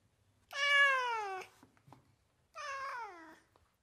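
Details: A house cat from California gives two drawn-out, clear meows, the first gently falling in pitch, the second shorter and sliding down, with a soft tap between them and a quiet background.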